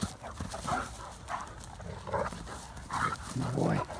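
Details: Two Great Danes, Mikey and Ellie, romp outdoors, chasing each other and sharing one stick. Short rough breathy bursts come roughly once a second over steady low rumbling ground noise.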